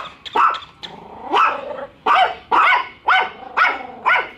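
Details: Bico, a pet dog wary of a toy dog, and Faith barking at it on first meeting; a growly whine opens into evenly spaced sharp barks about twice per second.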